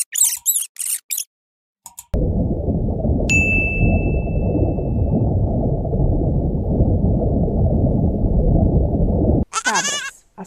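A goat gives short, wavering, nasal bleats at the start and end, separated by a long stretch of low rumbling noise and a single bell-like ding.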